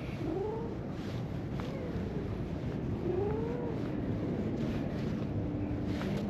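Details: Stray orange-and-white cat in a park, following a person to a bench and asking for attention, gives three soft meows that rise then fall, spaced over a few seconds, against a steady outdoor hum.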